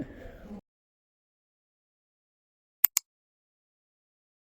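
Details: A brief burst of muffled noise, then near silence broken by two sharp clicks, with no animal sound.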